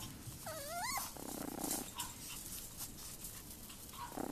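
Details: Chihuahua puppies, a short-haired fawn and white male and a long-haired white female with fawn spots, playing outdoors on a warm February day; one wavering, high whine near the start, then faint short yips over steady background hiss.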